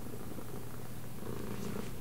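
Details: Deep, regular purring fills the moment as a domestic cat follows left and right commands; the rumble stays low and even, with slight louder swells toward the end.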